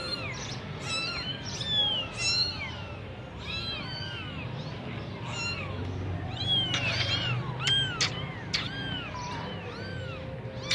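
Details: Semi-punch Persian kittens in Gujranwala keep up a dense chorus of short, bright, arched mews, many overlapping, with a low hum running underneath.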